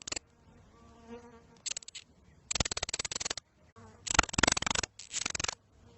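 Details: Lizard giving bursts of rapid, dry clicks that merge into a harsh buzzing rattle, each burst lasting about half a second to a second, with short quiet gaps and a faint low hum between them.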